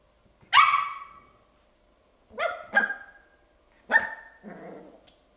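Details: A 10-week-old male Bichon Frise puppy gives sharp, high-pitched barks, wanting to play.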